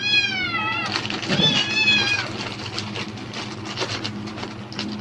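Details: Cat reacting excitedly to the crackle of a plastic bag, seeming to think food is coming: one long clear meow, then a wavering second meow, followed by loud bag rustling and a faint background hum.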